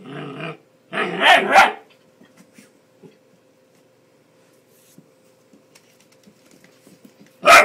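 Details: Ten-week-old Bull Terrier puppy that does not like the hairdryer, giving short harsh barks in two bursts near the start and one more at the end, with quiet gaps and a faint steady hum between.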